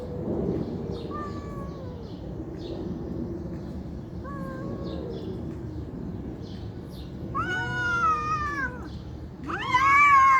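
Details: Domestic cats fighting, angry and loud: drawn-out wavering yowls with rich harmonics, quiet at first, then rising to two strong, harsh, wailing howls near the end over a low background hum.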